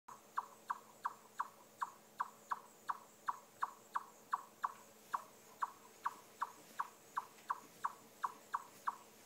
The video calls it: Chipmunk Making Strange Chirping Noise